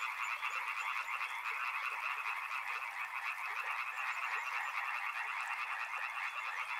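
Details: Loud, steady chorus of frogs beside a river, many callers croaking at once in a dense, buzzing, pulsed texture that never pauses.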